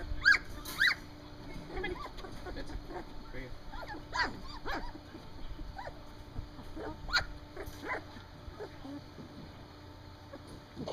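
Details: Three-week-old Standard Poodle puppies outdoors for the first time give repeated high, thin squeals and whimpers in short bursts, some sharp yips standing out, while a person talks softly nearby.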